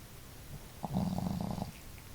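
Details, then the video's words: One of two family dogs, Marimo (female, loud snorer) or Daigoro (gentle snorer), gives a single short fluttering snore lasting under a second, a rattling vibration in an otherwise quiet room. "可愛いイビキ snore"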